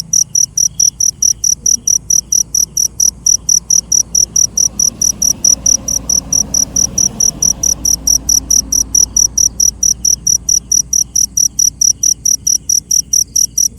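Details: Night-time cricket calling in rapid, evenly spaced shrill pulses, roughly three per second, continuing throughout over a quiet, low rumbling background.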